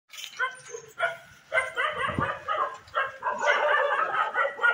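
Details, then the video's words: Street dogs fighting, giving irregular harsh barks and yelps in quick bursts with short gaps, growing denser and louder toward the end. "Street Dog Fight | Street Dog Barking | Kutte Ki Awaaz | Kutte Ki Bhaunkne Ki Awaaz | Kutte Ki Ladai"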